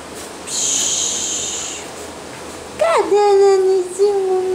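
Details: Basset Hound puppies: a short high whistle-like squeal early on, then a loud, drawn-out tonal whine that dips and levels off, with a second whine at the end.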